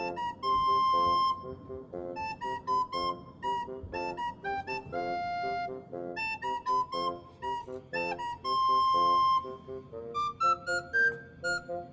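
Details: A playful woodwind melody of clarinet and flute notes in quick bouncing phrases fills the recording, with no animal voice audible.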